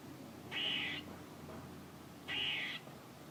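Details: Two loud, buzzy, wheezing squirrel notes about half a second each, separated by a pause of nearly two seconds.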